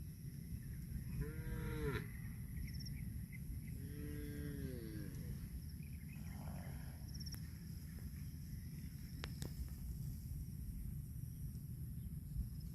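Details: Cattle eating grass let out two separate moos, each a short, curved, tonal bellow about a second long, spaced a few seconds apart over a steady low rumble of background noise.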